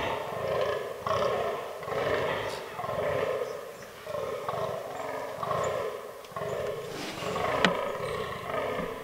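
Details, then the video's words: Fallow deer (Dama dama) bucks rutting in autumn woodland. Gravelly groans pulse in quick regular bursts, pausing every couple of seconds. Faint other noises sit behind them. "Fallow Deer Rut 2022"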